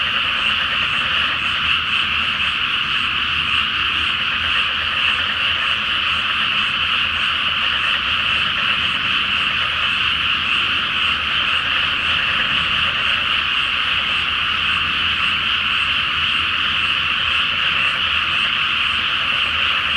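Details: Full-moon night over a flooded paddy before rice planting, where countless frogs croak together in one loud, even, continuous chorus that never pauses.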